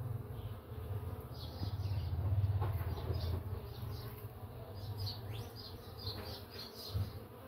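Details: Uruçu nordestina bees (Melipona scutellaris) entering their nest give a low, steady droning wing buzz that swells and fades as they fly close.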